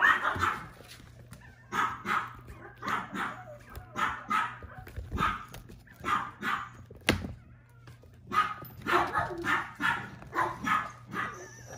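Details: Puppy filmed on March 10 barking in short high yaps, grouped into clusters separated by quieter gaps, with a low steady hum, a sharp click midway and faint human voices.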